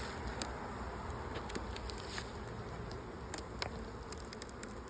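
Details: Crowded late swarm of honey bees packed into an old hive that had become honey-bound. A thick, continuous low hum is broken by scattered sharp clicks and taps from handling the hive.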